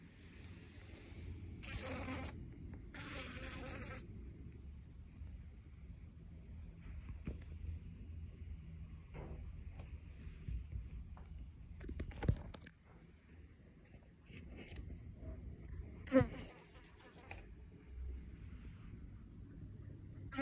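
A fly's low, steady wing buzz drones on, broken by a few brief bursts of rustling noise.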